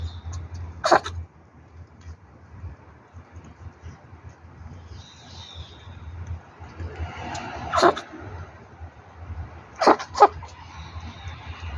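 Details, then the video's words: Sneezing from Leo, a kitten among Banbani's litter of five street cats, 8 June 2024: three abrupt, noisy sneezes spaced several seconds apart, the last a quick double, over a low droning hum and faint twittering. "레오 재채기"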